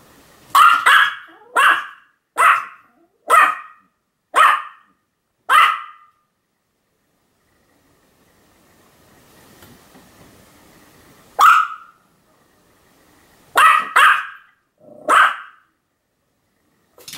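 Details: Sam, a Pomeranian, keeps up repeated barking on 7 October 2015: six evenly spaced sharp yaps, a silent gap of several seconds, then a lone bark followed by a quick cluster of three more.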